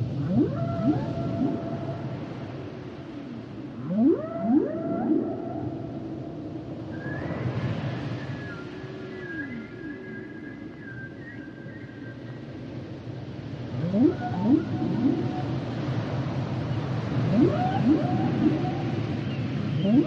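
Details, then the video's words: Humpback whale song: clusters of rising swooping moans repeated every few seconds, a long high steady whistled tone in the middle, over a constant low rumbling underwater hiss. "Sounds and Songs Of The Humpback Whales"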